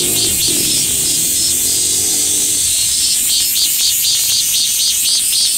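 A Min-min cicada's song played at double speed, a dense high buzz of rapid swelling pulses.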